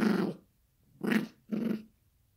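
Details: Growling Yorkshire Terrier puppy at play with a toy indoors; three quick gruff growl bursts, the last two close together.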